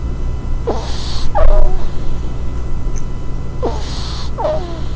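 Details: Ferret in a close-up ASMR recording: a breathy hiss followed by a short squeaky chirp, the pair heard twice, over a constant low background hum.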